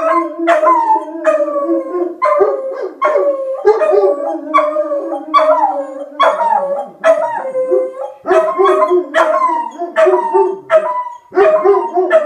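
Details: Set off by a tornado siren, Rufus the Beagle and Axle the German Shepherd howl together: dense overlapping baying, rhythmic yelping notes over sliding, sustained tones throughout.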